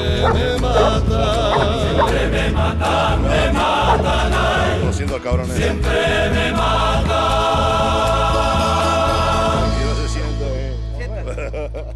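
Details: Loud choral music with chanting voices plays throughout, fading toward the end.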